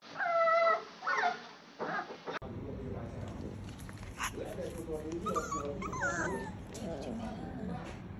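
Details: A two-month-old female Toy Poodle puppy after her front toe was caught in a door, on 3 July 2021: high wavering cries at the start, then a broken-up soft whimper under human speech and background noise.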